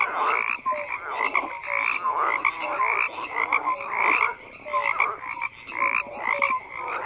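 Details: Many frogs croak together in a thick, continuous chorus; raspy pulsed calls overlap with brief clear whistled notes recurring about every second.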